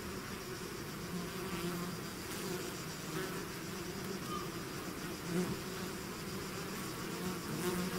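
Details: Steady hum of a bee swarm emerging from its hive, many wings blending into one drone, with a few single bees buzzing close and slightly louder near the end.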